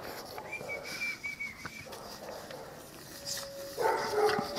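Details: Nine-week-old Cane Corso puppies indoors: a thin, high, steady whine held for about a second, a quieter stretch of rustling, then a burst of short yelping cries near the end.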